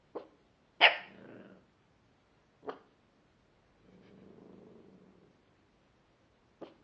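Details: Pet dog barking at nothing, with nothing there to be seen: four short, sharp barks spread over seven seconds, the second loudest and harshest, with a low, soft growling rumble in the quiet gap before the last bark.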